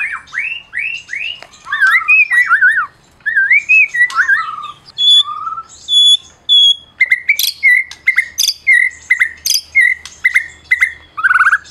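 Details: White-rumped shama of the Medan type, a prize-winning bird, singing to provoke silent shamas: varied phrases of looping whistles, warbled rising and falling notes, then sharp repeated clear whistles with brief pauses.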